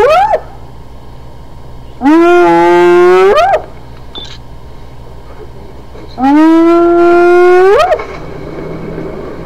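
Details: Hyena vocalizing in long, loud calls that climb from a low start, hold a steady rich tone for over a second, then swoop upward at the end, repeated roughly every four seconds over a faint steady background rumble.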